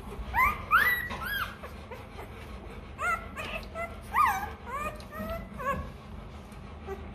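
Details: Rottweiler puppy, hungry and crying for milk, making quick upward-sliding yelps and whimpers in uneven bursts, several in close succession, over a faint low background hum.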